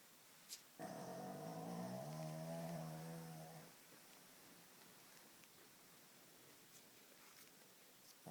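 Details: Snoring from Barclay, a Shih Tzu whose flat nose makes him snort and snore at night: a single steady, buzzy drone lasting about three seconds, followed by room quiet.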